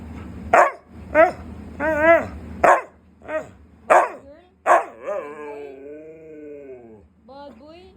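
A Siberian husky yowls and grumbles in repeated rising-and-falling bursts, protesting at not getting treats.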